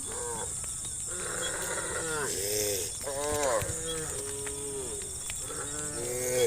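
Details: Herd of cows roaming open countryside, calling to their companions: several overlapping moos, some rising and falling, spread across the clip, over a steady high-pitched hiss in the background.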